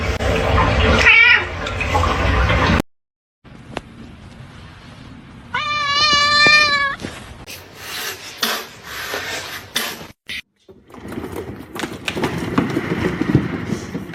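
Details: Kitten giving one clear, drawn-out meow, steady then falling slightly at the end, amid household noise, clatter and bursts of louder background sound before and after.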